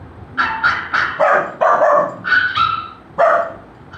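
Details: A golden retriever puppy reacts to the sound of barking with a run of high, yappy puppy barks in quick bursts.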